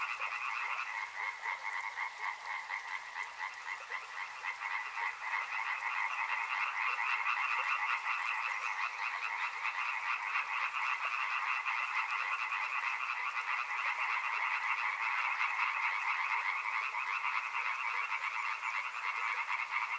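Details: Frogs near a river form a steady, thick chorus of fast, overlapping croaks, a continuous pulsing drone that never pauses for twenty seconds.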